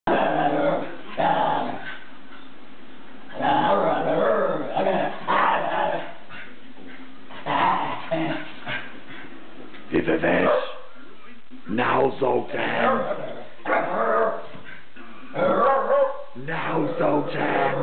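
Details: Whippet taunting another dog with a talkative 'yabull yabull' vocalising: bursts of grumbling, moaning, harmonic yowls in uneven runs, broken by short pauses around ten and twelve seconds, with sharper bark-like onsets.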